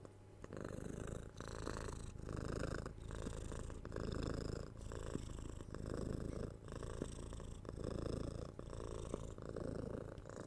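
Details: Six-month-old kitten Tora purring while being cuddled, patted and given head scratches, recorded indoors on a 3DIO binaural microphone; deep rumbling purr in steady pulses roughly every 0.8 seconds, rising and falling with each breath.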